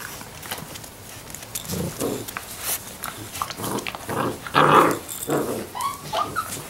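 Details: Six-week-old Labrador Retriever puppies making short whining and yelping sounds, with brief rising squeaks near the end and soft growly noises, amid background rustling and handling noise.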